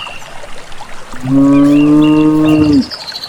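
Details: Cattle from a village herd on their way to pasture; one steady, clear moo of about one and a half seconds, level in pitch and ending with a slight drop, over quiet background.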